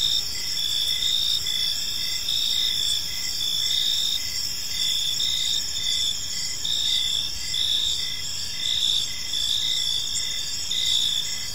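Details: Crickets chirping through an evening in a park, a dense high-pitched trill holding steady while softer pulsed notes repeat evenly beneath it, many insects overlapping.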